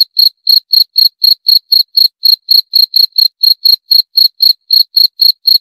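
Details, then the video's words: Cricket call: evenly spaced, sharp, shrill pulses, about four each second, continuing without a break against a silent background. "28 Menit Suara Jangkrik - 28 Minutes Cricket Sound Effect"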